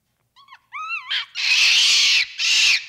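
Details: Capuchin monkey giving two brief whistled rising notes, then long harsh, noisy screeches that fill the upper range.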